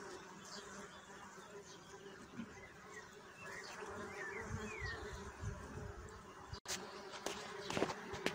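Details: A bee buzz that wavers and surges near the listener over a low hum, with a few bird chirps, a sudden break, then sharp clicks and knocks toward the end.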